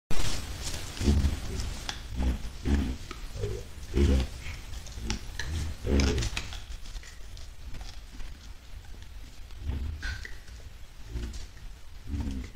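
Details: White-lipped peccaries, a group heading toward a salt lick on 10 July 2022: deep, rough grunts repeated about every second at first, then sparser, over a constant low rumble outdoors.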